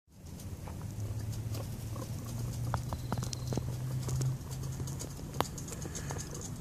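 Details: Pet guinea pig herd of Harry, Bow, Chloe and Gabriella, with happy popcorning and Bow and Harry sneaking off together. A low steady rumbling purr holds for about three seconds, then stops, over soft pattering and scattered clicks of movement.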